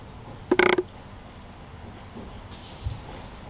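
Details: Tosa Inu mother and six-week-old puppy, red and black, named Ajsinka and Quinny Bella, kept at a kennel; one brief bright yelp, then soft faint rustles and a low thump in near silence.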